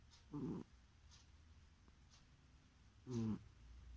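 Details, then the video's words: Cat snoring while asleep, two brief low rasping breaths about three seconds apart, soft and close, in a quiet indoor setting. "Кошка храпит во сне"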